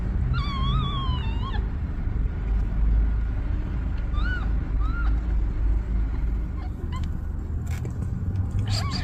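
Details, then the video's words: Newborn kittens and a mother cat asking for help: a wavering, drawn-out high mew opens, followed by short, thin, arched mews spaced a few seconds apart, against a continuous low rumbling background. "Mother cat ask for help! Newborn kittens meows"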